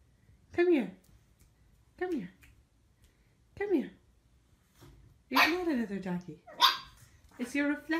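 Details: A puppy learning to bark yaps at its own reflection in a mirror. Three short yips drop steeply in pitch, spaced about one and a half seconds apart. Louder, overlapping barks follow, mixed with a person speaking soothingly.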